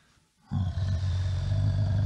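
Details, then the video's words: Bear giving a deep, steady rumbling roar that starts abruptly after a brief silence and holds at a low, even pitch to the end. "Sonido hace un oso"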